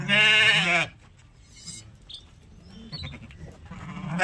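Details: Sheep at milking time giving one loud, strained, quavering bleat lasting under a second, then near quiet with faint clicks and soft background noise.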